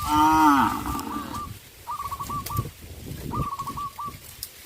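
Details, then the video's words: Tame cows eating bamboo in a forest near a traditional village farm: a loud, drawn-out moo that sinks in pitch at the start, then two bursts of rapid chattering bird trills over low rustling. "sound of cows"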